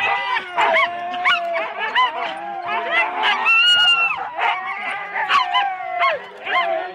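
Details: Husky teams of four dogs at the complete start in Rendlesham, January 2016, on analogue cassette: bursts of high yelps alternate with drawn-out whining howls, many dogs calling at once.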